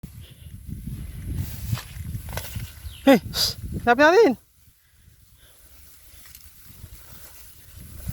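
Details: Goat on a small goat farm, heard outdoors during a search for a missing young kid feared bitten by a cobra; two short harmonic bleats, the second rising and wavering, with footsteps and rustling around them.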